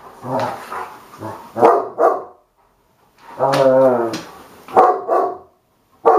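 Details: Two dogs at play, Hagi the Romanian Mioritic and Nijinsky the South Russian Ovcharka: deep, drawn-out growls with rich harmonics, each lasting up to a second, broken by short snarling barks and brief silences.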